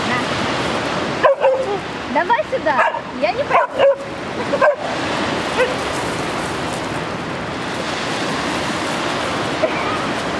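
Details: West Siberian Laika named Fira, scared and refusing to cross a river, gives a burst of short, high, whining yips and barks over steady rushing water while a person coaxes her with a cookie.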